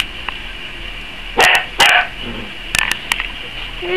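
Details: Five-week-old Dachshund puppies at play after napping in dog beds by a wood stove: short high yips and barks in two pairs near the middle, then a few sharper yaps, over a steady background hum.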